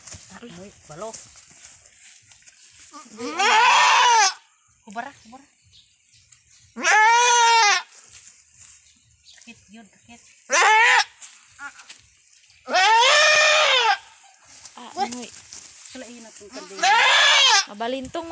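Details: Goat named Anime, a brave long-horned doe on a small backyard farm, bleating during her difficult first birth. Five loud, harmonic, wavering bleats arrive every three to four seconds, with quieter human speech and soft noises between them.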